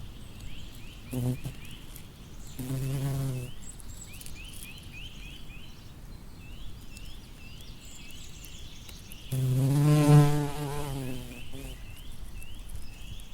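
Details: Among flowers, a bumblebee drones past in short bursts: a brief hum near the start, another around three seconds, then a louder, longer pass late on, over constant faint chirping of small birds.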